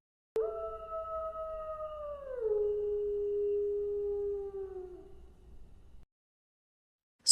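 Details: Wolf howl, part of a children's set of real animal sounds: one long smooth tone, steady and then sliding down midway to a lower held pitch, fading out after about five seconds, with faint low hum beneath.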